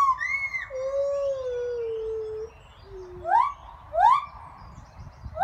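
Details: Two white-handed gibbons (Hylobates lar) sing in their new enclosure at a primate sanctuary's chimpanzee complex: long pure hoots that slide down, then sharp rising whoops repeated about every second.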